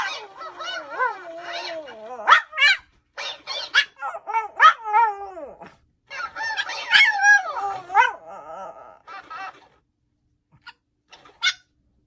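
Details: Pomeranian (Canis lupus familiaris), bark.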